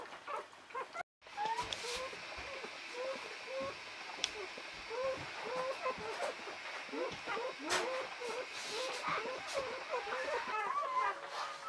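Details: Newborn Czechoslovakian Wolfdog puppies, a litter of five females born 21 November 2020 to Orizon and Rahan, just after birth: many short, rising squeaks and whines overlapping in quick succession, with soft human speech and rustling.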